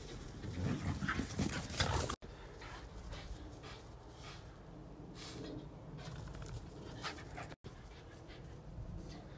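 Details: A male and a female Shiba Inu playing outside pant and scuffle, with a brief burst of louder vocal noise at the start; the male seems to get mad because he can't catch her.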